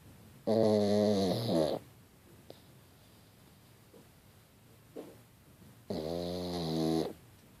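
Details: Sleeping pug snoring indoors: two long, rasping, harmonic-rich snores roughly five seconds apart, each lasting over a second, with quiet breathing gaps and a faint click between them.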